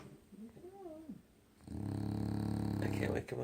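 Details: Loki, a dog so deeply asleep it cannot be woken, lets out one steady, low, buzzing snore lasting over a second, after a person's brief murmured speech at the start.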